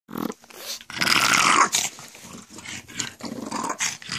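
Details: Pet pug making strange goblin-like noises indoors, noises it reportedly makes all day: harsh, raspy, snorting growls in irregular bursts, one loud sustained rasp in the middle of the recording, quick breathy snorts around it.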